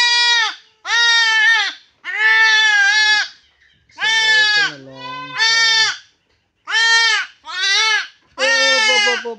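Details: Goat undergoing castration bleats over and over, eight harsh, wavering cries about half a second to a second long, some quavering and breaking, with brief pauses between.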